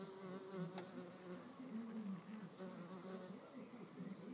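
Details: Solitary red mason bees fighting to keep a nest cavity; steady low buzzing drone that wavers in pitch, with short louder surges and faint clicks.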